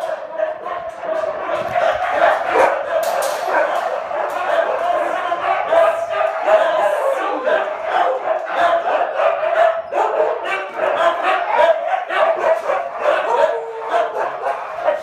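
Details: A pack of huskies clamouring at feeding time: a loud, unbroken mass of overlapping barks, yelps and howl-like cries from many dogs.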